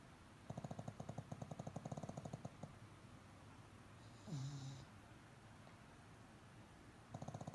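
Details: Pet pug asleep at home with its eyes half open, snoring comfortably: a fast, fluttering run of low rasping pulses for about two seconds, a pause with a short squeak, then the rhythmic snore resumes.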